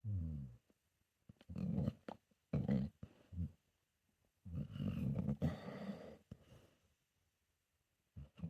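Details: Solomon, a senior pit bull mix, asleep indoors and perhaps dreaming, gives low rasping snores in uneven bursts, two close together near the start and a longer rumbling stretch midway, with quiet gaps between.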